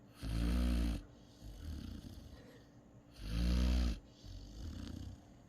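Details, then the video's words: Sleeping Great Dane pup snoring in a steady rhythm: two loud rattling inhaled snores roughly three seconds apart, each followed by a softer, shorter exhaling snort, deep and throaty. "snoring Great Dane pup"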